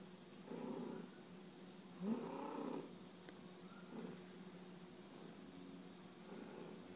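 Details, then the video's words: Pet cat bunting its owner and purring: low, throaty purr phrases rise and fade in uneven pulses, one louder burst near the middle, the rest softer and steady. "Cat bunting its owner & purring"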